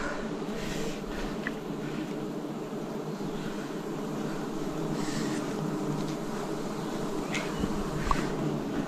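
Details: Wild bees swarming during a 2026 forest honey harvest: a dense, steady droning hum of many wings in layered low tones, holding evenly throughout with a few faint clicks and rustles.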